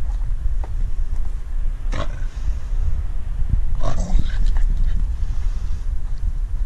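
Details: Staffordshire Bull Terrier, a female on guard over her stick, growling in a deep, uneven rumble broken by snorting, grunt-like pulses, before a person calls it enough.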